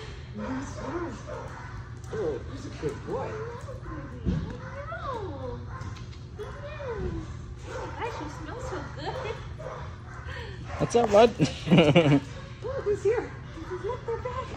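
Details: Scrabble, a Shepherd mix, reunited with the owner: high, wavering whines that rise and fall in quick curved bursts, mixed with short yips, over people talking, with a louder clattering burst near the end.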